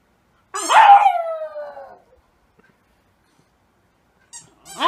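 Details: Rescue dog howling like a wolf: a loud, high wail that slides steadily downward over about a second and a half, then silence and the start of another rising cry.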